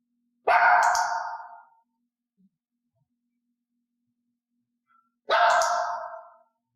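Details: Two loud, harsh, drawn-out barks from Elaine, a mystery-mix dog in clicker training, answering a cue; only cued barks are clicked and rewarded. The barks come about five seconds apart with quiet between.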